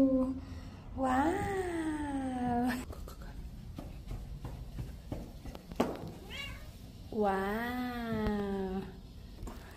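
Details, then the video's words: Domestic cat indoors giving two long, drawn-out meows with rich harmonics, first rising then falling, around a short, abrupt grunt-like sound; a person speaks softly in between. "The little grunt at the end"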